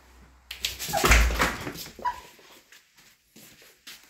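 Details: A Pomeranian cries like a wolf when its owner leaves home, giving a brief, strained howling cry just after the owner says goodbye.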